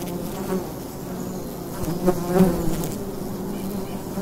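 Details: Steady low humming of bees at a wild hive entrance in the daytime in fall, with brief louder fly-by buzzes midway.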